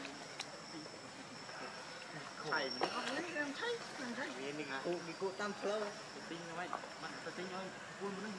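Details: Hungry baby monkey Leo Rainbow crying and begging its mother for milk: wavering, whimpering cries that rise and fall in quick runs, with faint background noise.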